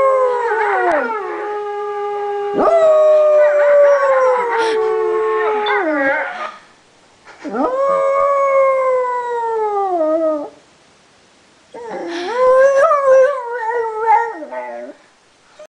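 A beagle gives long, wavering howls that slide downward, in three drawn-out bouts.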